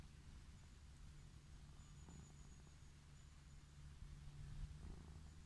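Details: Wild orange tabby cat lying on a grassy lawn, purring with pleasure while being stroked after a slow approach; a steady low rumbling purr pulses continuously, with a faint high whine and light rustling in the background.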